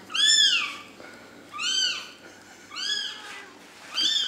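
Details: A little kitten, back with its protective mother cat after being handed over, repeats a high, arching mew about every 1.2 seconds, four times in a row. The background is otherwise quiet.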